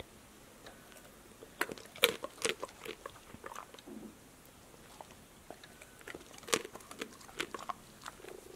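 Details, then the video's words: Indoors, a female pet dog chews crunchy snacks like apple, lettuce, seeds, tomato and green beans; loud crisp bites in bursts around two, four and six seconds, with softer wet mouth sounds between, quiet room. "DOG eats crunchy snacks"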